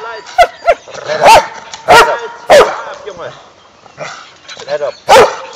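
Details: Dog barking during a training session with Malinois, German Shepherd and Bouvier des Flandres on Ascension Day, 17 May 2012: sharp, rough barks about once per second, with a handler's spoken praise and commands in the gaps.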